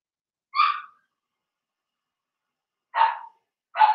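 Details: Young Blenheim Cavalier King Charles Spaniels, a litter of two girls and four boys whelped in March, in an indoor pen during potty training; a high harmonic yelp, a pause of two seconds, then two harsher barks close together.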